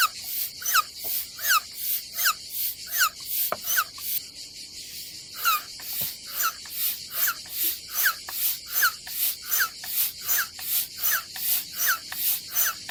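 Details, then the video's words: Summer cicadas singing at a campsite above the Adriatic Sea in Croatia, a dry hissing buzz rising and falling in even pulses, roughly eighty per minute, briefly dipping quieter near the middle before resuming its steady beat. "Silent ASMR vlog with nature cicadas sound"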